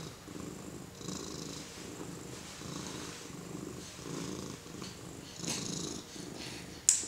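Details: House cat being petted by a four-month-old baby, purring in a rhythmic low throb, each breath cycle close to a second long, with a soft hiss of rustling and a sharp tap at the end.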